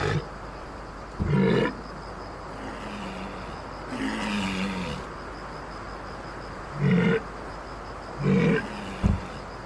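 Walrus giving deep, rasping roars in short bursts, four or five over ten seconds, with a longer rumbling growl between them over a faint steady hiss.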